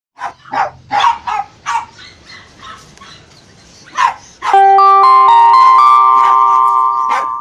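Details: Jack Russell Terriers Frosty and Bailey, one rough-coated and one smooth-coated, playing: a run of sharp barks in the first four seconds, then music takes over for the rest.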